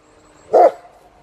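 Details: A German Shepherd gives a single sharp, full-throated bark on command during two-language training to bark.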